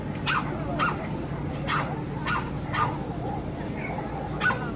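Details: Dogs at a dog show where two sibling dogs make their debut: short sharp barks repeated about every half second, each with a tonal core, over a steady low hum and indoor room noise.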